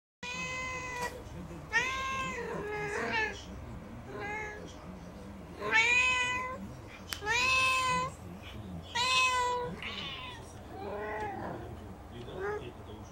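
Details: Four domestic cats meowing for food, recorded 20 March 2019: loud harmonic meows, mostly falling or arched, come in quick overlapping bursts roughly every two seconds, several voices alternating, with a faint room hum beneath.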